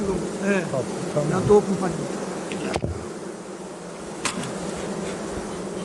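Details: Honey bees humming as a steady, dense low drone while hive frames are handled during a beekeeping inspection; a man's voice drifts in and out over the buzzing, with a sharp click near the middle.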